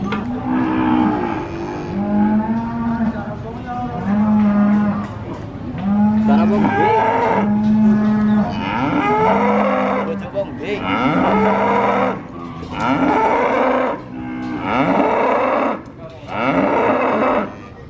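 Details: Sacrificial (kurban) cattle moo loudly, several animals giving long, drawn-out lowing calls repeated every few seconds.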